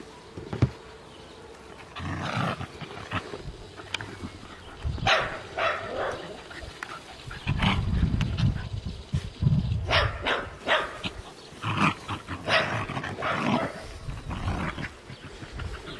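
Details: Scottish terrier puppy and puli at play, trading rough, throaty growls and short broadband yaps in irregular bursts, with low rumbling scuffles between them.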